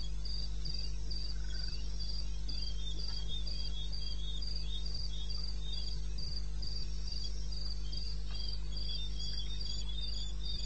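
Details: Night recording from eastern Botswana wilderness, 21 May 16 at 02:30, of a cricket: a long, even series of short, high-pitched chirps, roughly four each second, with a steady low droning hum beneath.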